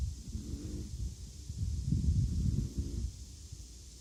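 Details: Snores of Appleboo the Chihuahua: deep, throbbing low rumbles, a softer snort first, then a louder grunting stretch midway that fades into quiet breathing, with light background hiss.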